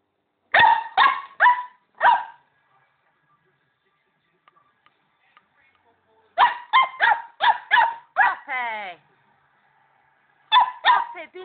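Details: Female Border Collie puppy yapping at a calm pet hamster on first meeting: bursts of three to five sharp, high harmonic yaps separated by quiet pauses, one drawn-out whine near the end.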